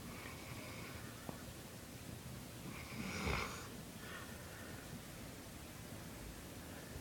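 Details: Bolo, a sleeping dog, snoring: soft, breathy rasps under a steady hiss, with one louder snorting burst about midway through.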